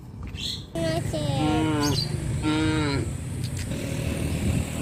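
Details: Cows wandering around a village's residential areas in rice planting season give two long, low, harmonic moos in close succession, the second slightly falling, over a steady low engine rumble and faint background noise.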